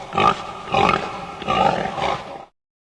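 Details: Pig giving a run of four rough, throaty grunts and snorts at about half-second intervals, coarse and noisy with low rumbling undertones.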